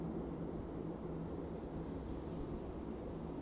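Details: A continuous low roar like a passing aircraft or vehicle covers the whole stretch, with no animal voices.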